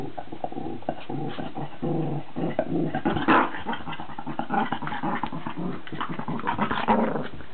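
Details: Two dogs, a Cavalier King Charles Spaniel and a Cairn Terrier, fighting indoors: low rumbling growls continue throughout, broken by sharper snarls and yelps near the middle and end.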